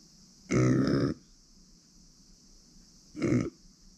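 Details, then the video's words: Two throaty grunts from Uni, a female pet micro pig born September 2020: a longer half-second one, then a shorter one after a pause, with a faint constant high hum behind. "ブーブーなく マイクロブタ"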